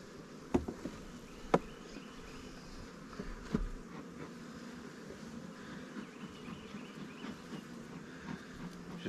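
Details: Honey bees of a new swarm hive in a beekeeper's apiary, a few on the top cover, humming steadily throughout while sharp knocks and clatter of hive handling break in, loudest early on.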